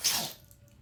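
A Boston Terrier gives a single quick, hissing sneeze, sharp at the start and fading fast.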